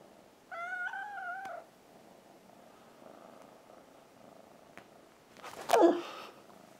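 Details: Domestic kitten wanting to climb up onto a man, indoors; one drawn-out, tonal meow of about a second, wavering slightly, then quiet room noise and a sharp scuffling burst near the end.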